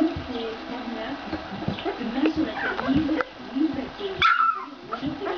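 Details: Fourteen-day-old Ca de Bou puppies: soft low grunting murmurs run through the recording, then a sharp, high whimpering squeal rises near the end, with human voices mixed in.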